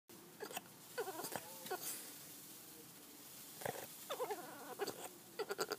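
A Boston Terrier makes odd little grumbling, squeaky noises in short bursts.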